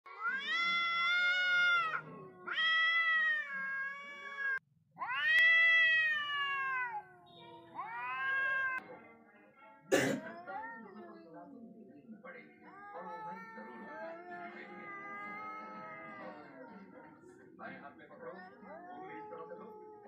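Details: Two wild cats facing each other in a tense encounter, trading long harmonic yowls that rise and fall in drawn-out wails, with a sharp knock near the middle and a quieter, wavering, overlapping moan afterward.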